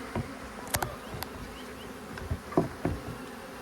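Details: A steady low hum of a large, very active western honey bee swarm with its queen, settled in a baited box in a deer stand, broken by sharp knocks and clicks of frames being handled.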